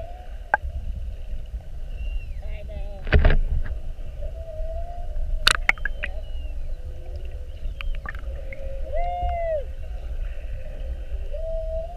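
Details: Underwater recording as whales stayed an hour by a whale-watch boat, spy-hopping repeatedly on 2-21-19. Several arched and upswept tonal calls at mid and higher pitches, sharp clicks and knocks, and a persistent low drone throughout.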